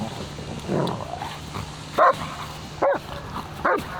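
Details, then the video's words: Dog barking in the distance at a dog park in Cincinnati on an early summer morning; three short barks spaced under a second apart over steady outdoor background noise. "I don't know if you can hear the dog barking in the distance, but we are back at the dog park here."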